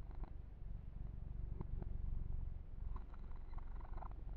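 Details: Purring of a pet kitten named Yumak during a massage, close and ear to ear: a steady low rumble pulsing rapidly, with soft clicking handling and grooming rustles over it.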